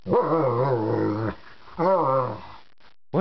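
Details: Dog indoors producing bear-like noises: two wavering, moaning growls with a rising and falling pitch, the first about 1.3 seconds long, the second shorter, separated by a quiet gap.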